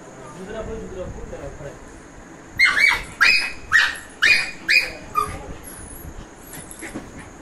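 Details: Street dog, excited and happy as a person approaches, gives a burst of six sharp, high yipping cries in quick succession after a quiet start with faint speech, then low background murmur.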